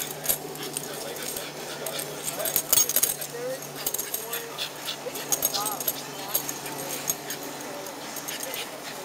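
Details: On a play date with a friend on 14 August 2011, a Shiba Inu gives short, high whines and yelps amid scuffling noises and a person's voice.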